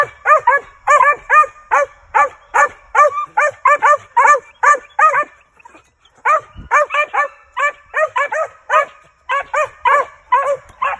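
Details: Barking from a male Original Mountain Cur, a registered squirrel dog being heavily trained to tree; quick, steady barks come in runs of paired and single yips, about 146 a minute, with one short break.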